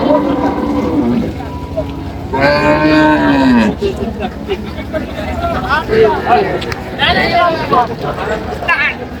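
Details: Cattle at Ambari market in Dinajpur on 14/7/25, where cows and calves are sold: one long moo in the middle slides downward and lasts over a second. Men talk and bargain throughout, with further short bleating cries near the end.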